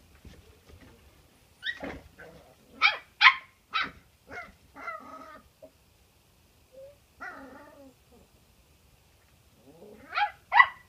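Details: Cairn Terrier puppies, filmed in 2017, giving short high-pitched yips and squeaky barks in irregular bursts, some doubled, separated by quiet gaps.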